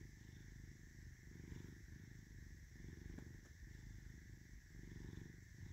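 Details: Caesar the cat, with an M-shaped forehead marking, gives a close, low purr that pulses with each breath roughly every second, a faint click midway and a soft hum beneath.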